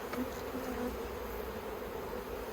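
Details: Kept honey bees at the Yellow Hive in Australia, 9 October 2021, during work with plastic frames the colony dislikes. A continuous humming drone, with a light tap near the start and a few faint clicks.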